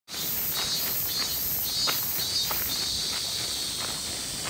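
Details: Robust cicada, known as min min semi, buzzing steadily at a high pitch with a pulsing beat that swells about twice a second, over soft crackling and scuffing sounds.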